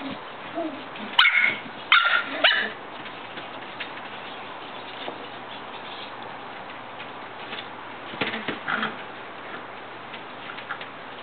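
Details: Shetland Sheepdog puppies give a quick cluster of three high yips early on, then faint scattered squeaks and rustling, with more soft yelps near the end against a steady background hiss.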